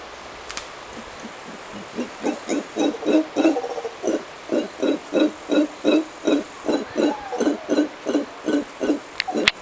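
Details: Howler monkeys at sunset in Costa Rica, giving a steady run of deep, rhythmic grunting barks, roughly three a second, each a short throaty pulse that builds in loudness over the first few seconds.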